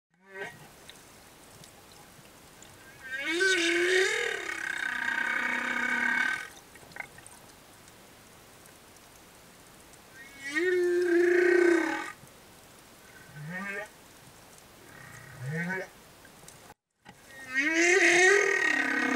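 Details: Singing humpback whale, a male escort accompanying a female and her calf near reefs: long harmonic moaning units with upward sweeps, several seconds each, with short rising chirps between them and quiet gaps.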